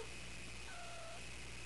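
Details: Calliope, a female house cat not yet spayed, makes a short, soft trilling note of about half a second. It is lower and fainter than her other calls and sits over a steady background hum.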